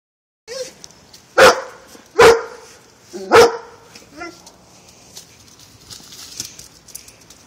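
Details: German Shorthaired Pointer cornering a cat, giving three loud, sharp barks spaced about a second apart, then a softer yelp, with quiet background noise afterward.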